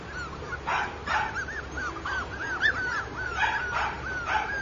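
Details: Blenheim Cavalier King Charles Spaniel puppy: short rising-falling whines repeated throughout, broken by about five brief harsh yips or barks, over a steady low background hum.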